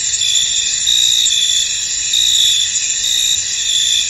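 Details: Field crickets in fog keep up an unbroken high trilling chorus, a few slightly brighter chirp phrases rising out of the steady shimmer.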